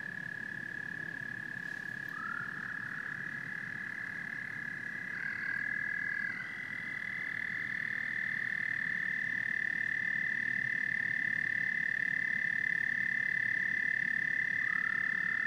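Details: Frogs and toads calling together in a dense chorus: a steady, high, ringing trill holds without a break while a fainter tone slides in around the middle, over a low, rough rumble of background croaking.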